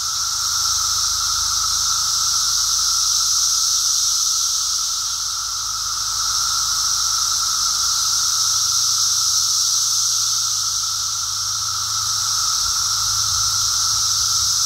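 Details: Brood X periodical cicadas heard during an emergence walk: a dense, unbroken chorus with a steady shrill high drone over a lower whining tone, swelling and easing gently over several seconds, with a faint low rumble beneath.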